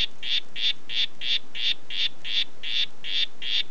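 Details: Red Head form of harlequin poison frog, Oophaga histrionica, calling: a steady series of short, buzzy, high-pitched pulsed notes, about ten in under four seconds, evenly spaced, against a quiet background.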